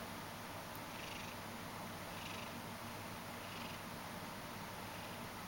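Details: Ragdoll cat, half asleep and kneading, gives a steady low rumbling purr with soft breathy swells roughly every 1.3 seconds over a constant hiss.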